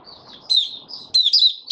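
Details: Kept white-eye singing, 8 January 2022, with high, thin, sliding notes run together into a bright twittering phrase, one loud note cluster after another.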